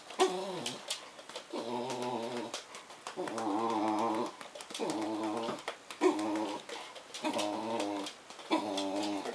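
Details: Black Bedlington Terrier making funny noises while greeting an English Bull Terrier shut in a crate indoors, alongside a liver Bedlington; drawn-out harmonic whining moans in repeated bursts about a second long, separated by short pauses.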